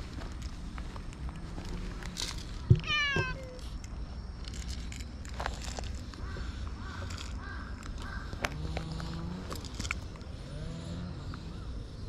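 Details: Hachiware stray cat with black-and-white coat, found in the middle of a park path while being petted, gives one brief upward-sweeping meow near three seconds; distant caws and handling rustles fill the rest.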